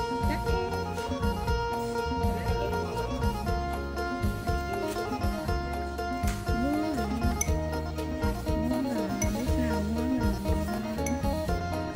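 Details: Music with plucked string instruments and a steady beat, with faint speech possibly underneath; no animal voice is heard.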